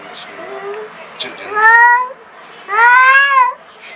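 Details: Black cat, furious at its first meeting with a new cat, lets out two loud, sustained wailing yowls about a second apart, each arching upward in pitch, after quieter murmuring sounds in a small room.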